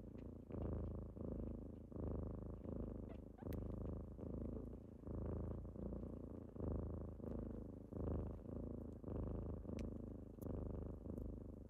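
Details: Morning purr of kittens rousing their owner at home: a thick, low, rhythmic rumble, each breath-cycle swelling and easing at an even pace of about forty per minute, barely any other sound.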